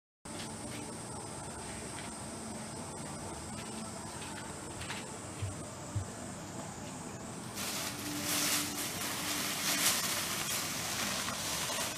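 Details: Constant broadband background hiss with a high steady whine that stops midway, followed by louder rustling noise, no animal voice heard.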